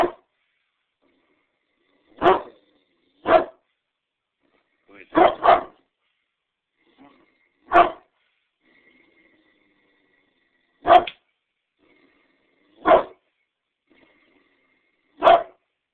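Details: Great Dane recorded on a mobile phone, giving single deep barks, some in quick doubled pairs, spaced one to three seconds apart with quiet gaps between them. About nine or ten barks in all, with no other clear sounds.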